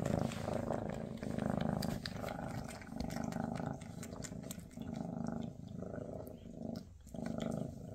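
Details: Purring from Freya, a Maine Coon mother, during a last day with her kittens before they go to new homes: a deep pulsing purr rising and falling in waves, with a short gap near the end.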